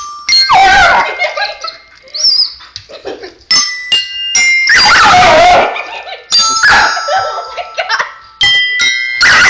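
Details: Kitty, a pet dog upset by a child's bells, lets out loud, harsh barks and short whining yelps. Bright chiming bell notes are struck repeatedly in between, at irregular intervals.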